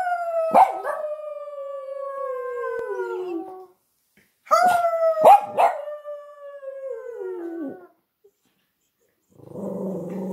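A Boston Terrier gives long, drawn-out howls that slide slowly downward, joined by a person howling along.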